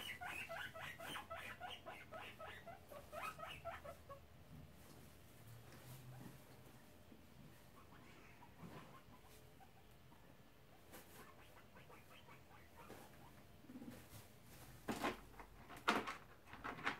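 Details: Guinea pig boars Shep, tri-coloured, and Chunk, black and brown, chatter at each other in a disagreement near the sows' cage; a fast pulsed burst for four seconds, then quieter rustles and scattered clicks.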